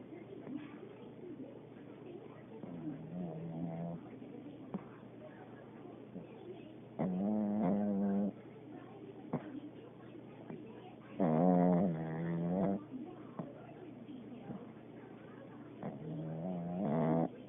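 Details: Pekingese dog snoring while asleep, with three drawn-out, nasal, whining breaths at about 7, 11.5 and 16.5 seconds. Fainter wheezy breaths fall between them against a low, quiet background hum.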